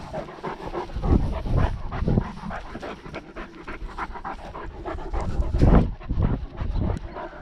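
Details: Panting from a Great Dane out walking with a dog-mounted GoPro during lockdown: quick, hoarse in-out breaths roughly twice per second over heavy, low bumps of stride and camera jostle.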